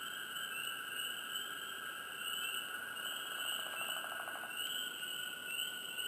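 Frogs chirp over a steady, ringing chorus, with a brief pulsed trill rising midway.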